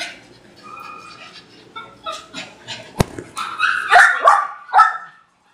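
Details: Poodles among a group of three give yips and high barks that build to loud clustered barking near the end, with speech in the background.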